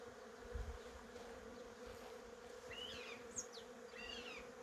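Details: Even humming drone of honey bees among cherry blossoms, with a short burst of bright, twittering bird chirps near the end and light wind underneath.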